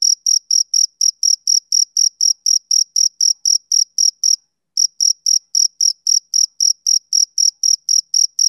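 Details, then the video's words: Summer-evening chirping of a male cricket. High, clipped pulses come about four per second, break off for a brief pause midway, then resume at the same pace. Nothing else is audible. "Cricket Chirping Sound Effect"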